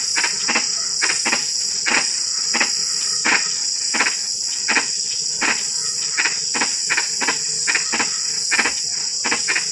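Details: Frogs at night during drizzling rain give brief rasping croaks, often doubled, at an uneven pace of roughly eighty per minute. A constant shrill insect chorus hums behind them.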